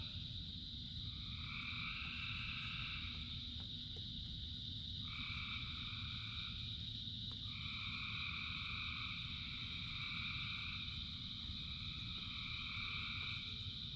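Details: Thousands of frogs singing in rain: a continuous high chorus band with overlapping trilled bouts rising and stopping every few seconds in two pitched layers, beneath a steady low wash of rain.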